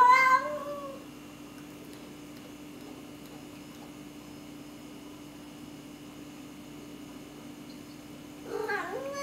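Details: Restless pet cats suffering cabin fever, recorded with a Canon T2i: one bent, falling meow opens, then several seconds of quiet hum before a second wavering meow dips and rises near the end.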